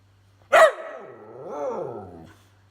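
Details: Whippet giving one sharp bark, then a drawn-out harmonic 'talking' vocalization that rises and falls in a wavering, speech-like arc for about a second and a half, in a quiet room.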